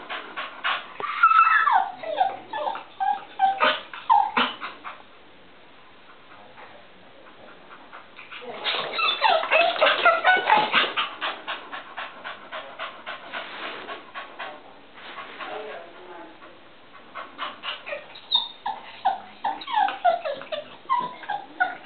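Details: Female pet dog, overexcited by visitors and a baby in the next room, barks and plays about to be let in: bursts of rapid high yips with whimpers, a quieter lull midway, then more barking.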